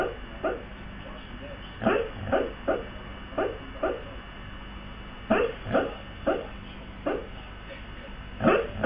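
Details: A sleeping Siberian husky, seemingly dreaming, gives soft, muffled little barks in short bursts of two or three.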